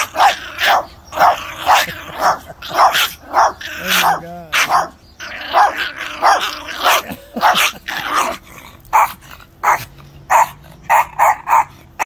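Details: Trailer park Chihuahuas biting a chain-link fence to get at a person, barking in rapid yappy bursts nearly twice a second, with a brief growl and a man's voice in between.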